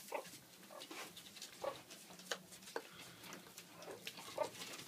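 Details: Aggressive captive alpha female meerkat confronting its owner; a few short, high squeaks spaced about a second apart over rustling and scraping, followed by a person laughing.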